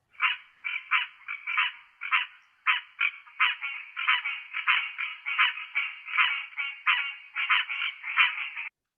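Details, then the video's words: Green tree frog in North Carolina, a species whose range has expanded westward and northward into the Piedmont, gives quick, nasal, slightly duck-like honking notes in a steady chorus-like run. "Jeff Hall: Let's listen to the green tree frog, perhaps a little duck-like."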